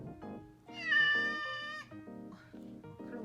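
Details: A domestic cat, one of a household's cats in their morning routine, gives a drawn-out, rising then falling meow over soft background music, asking for food or treats.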